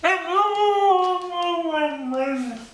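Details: A dog makes a drawn-out, howl-like vocalization that sounds like talking, as if saying "I want my Mommy". It is one smooth, sustained moan with a slight waver, easing lower toward the end.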